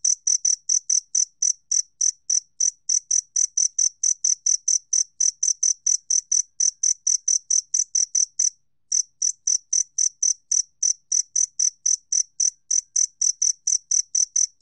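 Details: Steady run of bright, high-pitched chirps from a two-spotted cricket, recorded by the National Institute of Biological Resources in 2020, about four chirps a second with a single short break midway; otherwise silent background.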